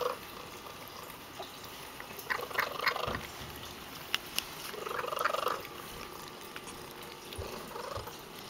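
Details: Pet cat, a female, purrs loudly as she eats, a low rasping hum rising and fading in breath-paced surges, the strongest near the middle, with a few sharp ticks and quiet room background.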